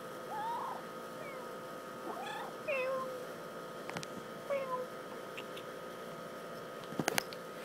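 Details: Kitten, a young male, staying indoors in summer and acting grumpy when approached too closely: several short, thin rising and falling meows scattered over a few seconds, with a person speaking and a sharp clatter near the end.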